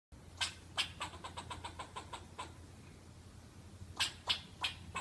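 Sharp, clicky chips come from a squirrel, some single and some run together into a fast chatter. A steady low rumble, like distant traffic, sits underneath.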